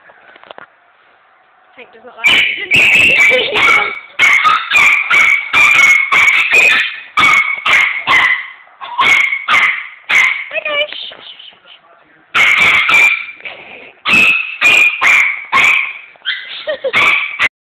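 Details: Tank, a pet Chihuahua, going berserk and attacking a vacuum cleaner that is switched off: high, strained growling barks and yips in rapid bursts, nearly continuous, with a short pause before resuming.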